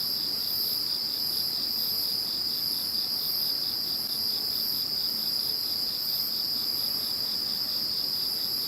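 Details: Insects calling in the calm after Typhoon No. 21: an unbroken ringing trill dominates, layered with fast pulsed chirring and gently throbbing very high tones, with no other sounds intruding.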